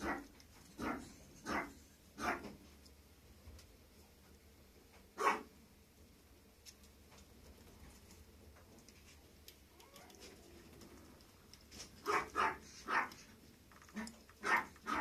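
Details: Young female Maltese dog barking in sharp, short yaps: a run of four early on, a single bark midway, then a quicker burst of about six near the end, with quiet pauses between.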